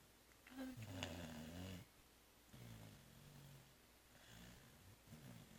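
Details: Sleeping cat Zoé, exhausted after Christmas Eve and Christmas brunch, lets out quiet, uneven snores indoors: one rough rasping breath, then softer, fainter rumbles trailing off.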